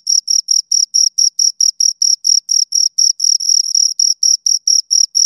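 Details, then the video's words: Two crickets give shrill separate chirps about four per second, each pulse distinct, a few merging into a short continuous trill near the middle; quiet background only. "Two Crickets Chirp Sounds"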